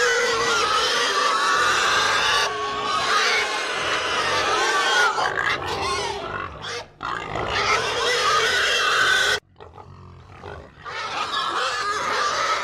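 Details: Pigs in a herd squealing and grunting loudly: dense harsh screams fill most of the stretch, then an abrupt drop to a quiet gap with faint grunts before the squealing returns.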